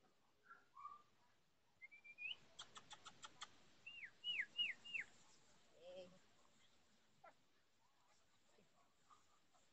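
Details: Forty-four-day-old chocolate Labrador Retriever puppies playing during socialization in Olivares, Sevilla, June 2015; a rising whine, a rapid ticking series, then four quick downward-curving yelps in a row, with soft later squeaks.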